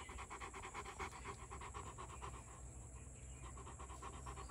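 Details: Male Rottweiler, two years old, kept as a pet, panting hard in fast regular huffs, roughly four each second, over a faint low background hum.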